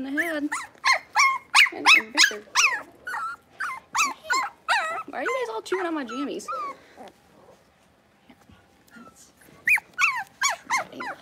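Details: A litter of six-week-old Blenheim Cavalier King Charles Spaniels in a puppy pen cries in fast, high, looping whimpers for about seven seconds, falls silent, then resumes with a quick string of squeals.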